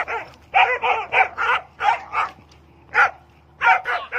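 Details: Kohati Gultair dog from Khyber Pakhtunkhwa, Pakistan, giving rapid harsh barks in quick runs of three to five, with short gaps and a final cluster of four barks.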